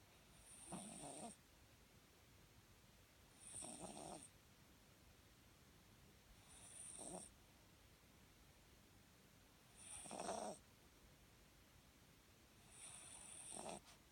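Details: A sleeping, dreaming Papillon, a rescue dog awaiting adoption, snores in soft breathy rasps, five slow snores about every three seconds, each lasting under a second with quiet pauses between.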